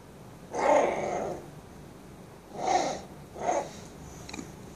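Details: A 16-day-old Bull Terrier pup roars in the morning: three brief, raspy, nasal roars about half a second each, a fainter squeak trailing off, against a quiet indoor background.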